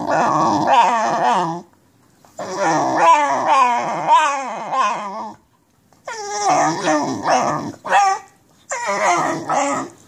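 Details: Basenji suffering nerve root damage howls in pain while walking: long quavering, yodelling cries in four loud bursts of one to three seconds, separated by short silences.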